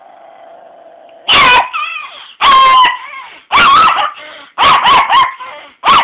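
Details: Walter, a pet dog who does not like being woken at noon or brought downstairs to the couch, gives a burst of loud barks with yowling, whiny tails after a quiet humming start, roughly once a second.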